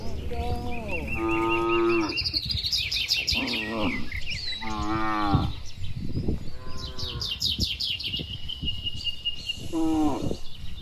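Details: Herd of dozens of cattle heading back to the shed late in the day on a village road among green trees, answering one another; five or six full, wavering moos in quick succession over steady, busy bird chatter.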